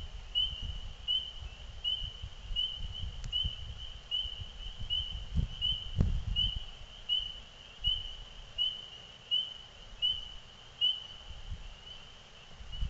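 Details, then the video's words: Frogs sing in spring just before nightfall in the evening, giving a steady series of high, clear peeps, repeated a little more than once a second. "Spring time Frogs Singing"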